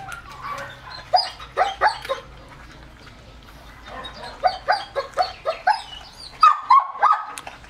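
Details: Excited male German Shepherd x Labrador mix eating raw chicken, about three-quarters of a kilo, fed a raw diet. Quick bursts of short, yelping whines, a quiet gap mid-clip, then a fresh run of whines and a higher, drawn-out whine near the end.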